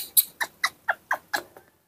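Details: Baby monkey Nomi, hand-raised, impatient and throwing a tantrum while drinking milk in the morning: six short, sharp squeaky chirps in quick succession, about four per second, fading at the end.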